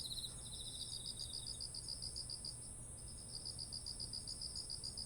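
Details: Insect voices of autumn by ripening rice paddies, recorded on a ZOOM H1essential; quick high pulsed trills run in bursts with a short gap, a second fainter caller beneath, a constant shrill tone above.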